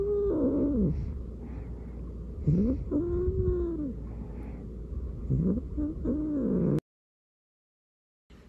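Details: A kitten and the resident household cat in a standoff. Loud, wavering, drawn-out yowls bend up and down in pitch, with several long cries over about seven seconds, then the sound cuts to near silence.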